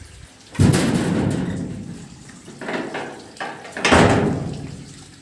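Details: Heavy knocks and door slams, with sliding and watery sounds in between.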